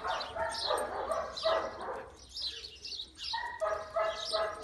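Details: Billy, a six-year-old neutered and almost completely blind German Shepherd up for rescue in the UK, gives tonal, whiny barks in short bursts, with a pause mid-clip, while small birds chirp high and steadily behind him.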